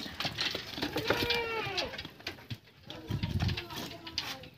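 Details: Purebred Anglo-Nubian buckling being bathed, giving a short wavering, quavering bleat with layered harmonics that bends down at its end, amid people talking nearby and splashing background noise.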